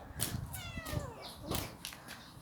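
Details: Kitten, a stray cat that comes into a computer shop after eating and pesters to be played with, gives a single falling meow amid rustling, tapping and background music.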